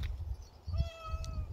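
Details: Pet cat, praised as the most dog-like of cats, produces a brief level meow in the middle, surrounded by low thumping rumbles and a short hiss near the end.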